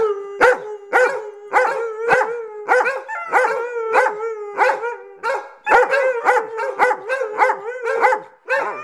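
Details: Excited household dogs awaiting a morning walk let out a rapid series of short howling yelps, roughly two per second, with overlapping voices.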